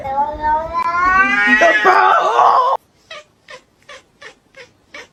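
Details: Domestic cat letting out a long, drawn-out caterwauling meow that swells and rises in pitch for nearly three seconds, then a run of short, soft sounds repeated about every third of a second in a quiet room.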